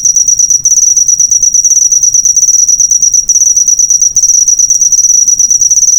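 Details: Cricket for bird-song training: bursts of rapid high chirps, about three per second, broken by short pauses at roughly half a second, three and four seconds, with a faint low rumble behind.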